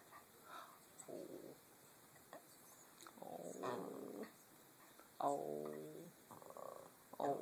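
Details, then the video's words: Casper, a pet Chihuahua being asked to talk, gives several drawn-out, grumbling, whine-like vocal bursts, the louder ones with a rich harmonic, talking-like tone around five seconds in, separated by short pauses, with a person's voice nearby. "Casper the talking chihuahua"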